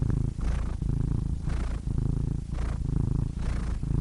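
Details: Cat purring in quick breath cycles, about two to three per second, a gravelly low buzz swelling with each breath and brief breathy rushes between pulses.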